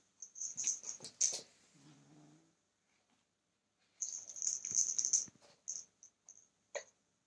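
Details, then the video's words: Male kitten growling while someone tries to take his toy: one short, low, rough rumble with a buzzy layered tone, set among rustling and scraping handling noise. "Kitten growling at me trying to take his toy"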